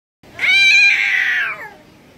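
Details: A single cat meow, loud and drawn out, rising at the start and sliding downward at the end, lasting over a second in a quiet setting.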